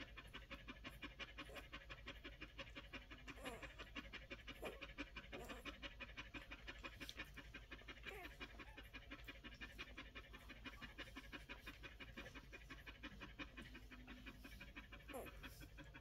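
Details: One-week-old Collie puppies breathing in fast, steady pants, close to three a second, forming an even rhythmic pulse throughout with a few faint squeaks over a low background hum.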